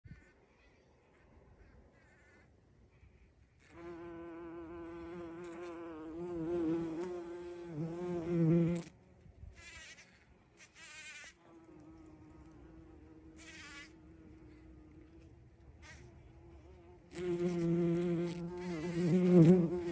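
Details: A bumblebee, recorded 14 June 2023 at a bumblebee feeding spot, flies close by with a deep, droning buzz that rises and falls in pitch.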